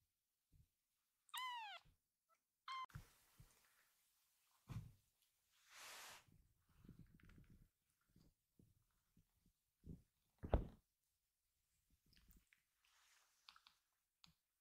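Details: Rescued baby kitten meowing to call its scattered littermates together indoors: two high, sharply falling meows about a second and a half apart, followed by soft rustling, thumps and small movement noises.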